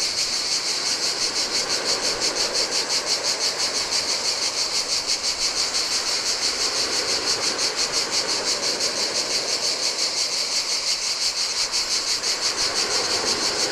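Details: Heat-time cicadas on an empty Greek island beach by the Adriatic sea produce a continuous high buzz beating in regular pulses, about three each second, while turquoise waves wash steadily over the sand.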